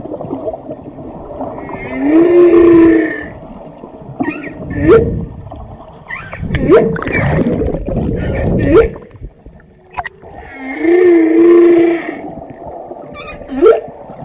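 Drawn-out tonal moans from a whale swell and fade about every nine seconds, each bending up then down. Brief whoops, squeals and low grunts fill the gaps over a steady underwater hiss.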